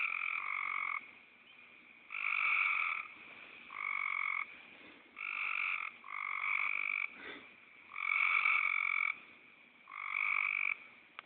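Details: Snore-like frog croaks come in a rhythmic series, eight or so nasal buzzing bursts spaced one to two seconds apart. A brief soft thump is heard midway.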